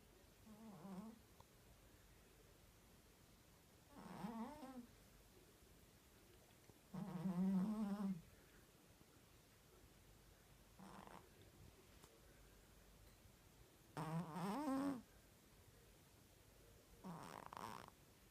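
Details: Domestic cat snoring while asleep, found alone in a grandmother's house; soft voiced snores with a low buzzing tone, one every three seconds or so, separated by quiet breathing gaps in a still indoor room.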